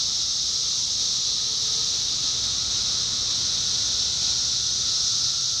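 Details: 17-year cicadas in Indiana during summer 2021: a dense, unbroken high-pitched buzzing chorus that holds steady throughout, with a faint thin tone humming underneath.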